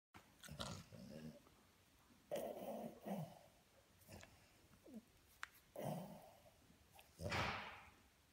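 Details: French Bulldog puppy tickled by its owner, making bursts of low grunting, snorting growls and throaty whines in short spurts, with quiet pauses between, indoors in a small room.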